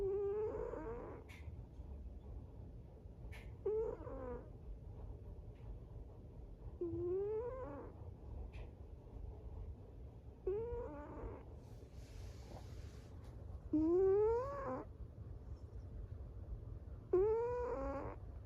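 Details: A cat snores in its sleep, each breath carrying a nasal, upward-sliding whine, six in a row spaced about three seconds apart, with a brief hiss of noise between.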